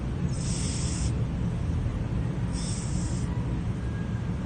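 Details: Pizza the cat, asleep and snoring: a steady low rumble runs throughout, with an airy hissing breath rising twice, roughly every two seconds.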